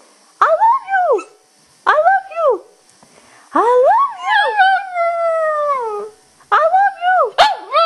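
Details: Shih Tzu howling back at its owner, who repeats "I love you" to it; the dog sounds annoyed. Short wavering howls with arching pitch, one longer drawn-out falling howl in the middle, brief breaks between calls.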